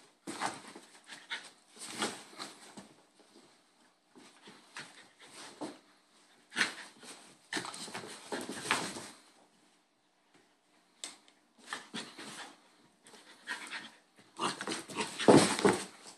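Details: Bull Terrier puppies, a little brother and a big brother, play-fighting indoors; bursts of soft growls, whines and panting come in irregular clusters with short quiet gaps, a louder scuffle near the end.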